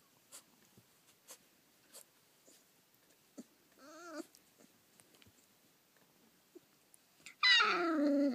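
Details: Thirty-day-old Collie puppies, recorded 30 June 2013, indoors. A short wavering whine comes first, then after soft taps a loud, sustained, harmonic-rich whine that slides downward and holds at the end.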